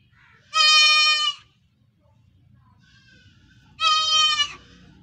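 A young goat gives two high, wavering bleats about three seconds apart.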